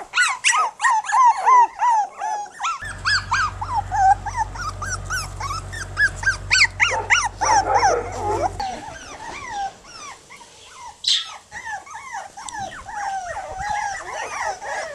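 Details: Ten one-month-old Jack Russell Terrier puppies playing on a back-yard lawn without their mother yip, whine and growl in rapid overlapping bursts.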